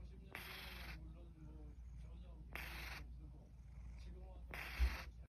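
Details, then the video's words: Yamyam the cat snoring during a daytime nap: three short, breathy, rasping snores come roughly every two seconds over a steady low hum. "cat얌얌 낮잠직캠ㅋ(소리필수) What happened? #코골이 고양이"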